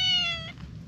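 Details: Siamese cat, one of a friendly pair with an orange tabby, rubbing its face and coming close seeking affection; a single clear half-second meow, steady then dipping slightly at the end, over a low background rumble.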